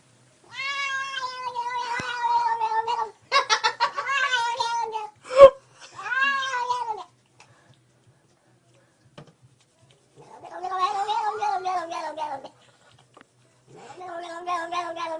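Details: Female cat making funny noises while being petted on her back: drawn-out harmonic meows and warbling caterwaul-like wails in several long bouts, one sharp chirp in between, quiet room with pauses of silence.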